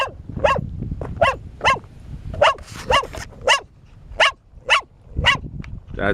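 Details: Bear, a four-year-old female dog, barks almost nonstop during exercise. About eleven sharp, ringing barks come in six seconds, each with a downward-bending tone. Low rumbling thuds run underneath.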